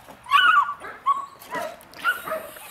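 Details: Eight-week-old puppies from the H litter, two males and two females, at play: a run of high, bright yelps and squealing whines in short bursts, four separate outbursts across under three seconds, with a quiet background.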